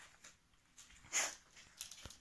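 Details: A 3-month-old male chocolate Chihuahua puppy indoors lets out brief, breathy, high yips that sound odd and unformed; his owner thinks he doesn't yet really know how to bark. Three quick bursts come close together near the end.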